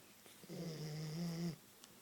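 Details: One low, buzzing snore about a second long from a sleeping Queensland Koolie indoors, steady and droning, with faint clicks around it.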